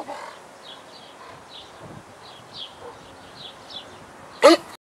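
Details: A single rough, airy bark from a debarked dog asked to speak comes right at the end, loud and brief, after several seconds of bright, repeated bird chirps over a quiet background.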